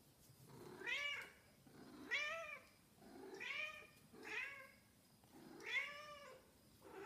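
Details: Missing its owner, a Snowshoe cat meows steadily indoors, five or six arched, rising-falling harmonic meows about one per second and a bit, with little else heard.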